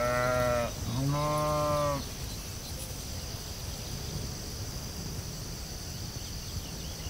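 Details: Two sheep bleats close together out in a field, the first short and the second longer and lower-pitched, both strongly harmonic, followed by quiet with a continuous high-pitched insect hum.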